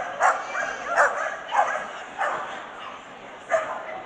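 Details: Swedish Vallhund males in the best male ring at Strängnäs international dog show, 15 March 2015. Quick, high barks repeat about every half second, then pause before one more, with hall chatter behind.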